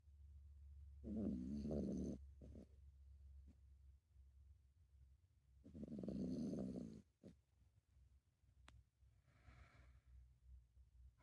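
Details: Sleeping toy poodle Maruhia gives slow, throaty snores, each a rough buzzing rasp of about a second, recurring roughly every five seconds over soft indoor background hum.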